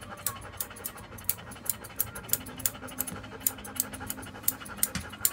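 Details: Joe, a standard poodle, at a grooming salon on Boulevard Haussmann in Paris's 8th arrondissement, pants in quick breathy bursts about three per second, each a sharp airy puff over a soft background rumble.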